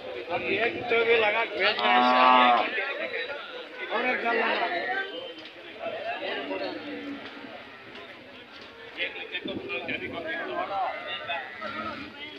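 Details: Hallikar cattle at the KG temple cattle fair market, held every Monday in Gubbi taluk, Tumkur district, Karnataka, 8 July 2024; one drawn-out, tonal moo rises near the start over steady market chatter and nearby voices.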